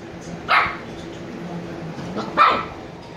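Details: Two sleepy Shiba Inu puppies, Niro and Kyno, 86 days old; two short, sharp yipping barks about two seconds apart over a quiet indoor background.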